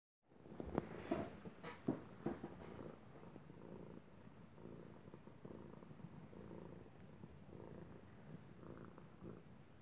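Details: Arkimedes, a domestic cat, purring like a water heater; a low continuous rumble with a few sharper clicks and rustles near the start, then a steady soft pulsing purr.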